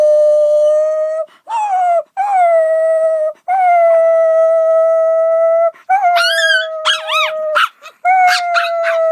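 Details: Dog howling in a series of level, sustained notes separated by short breaths. Later the notes turn into wavering, yodel-like yelps, then one steady howl returns.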